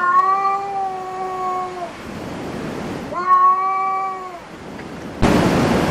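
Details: Domestic cat at a cat cafe giving two long, steady, drawn-out meows, each lasting over a second, separated by a short pause, followed by a sudden burst of loud rushing noise near the end.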